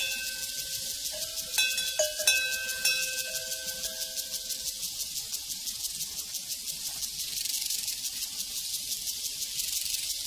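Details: Crickets on a prairie: a dense, high, hissing chorus pulsing in a steady rapid beat, while cowbells clang with ringing tones through the first half.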